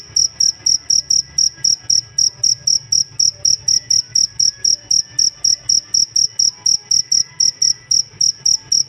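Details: Cricket (jangkrik) chirping, kept as a master tutor for songbirds; loud, high, clean pulses repeated about four times a second in a steady even rhythm, with faint low background hum beneath.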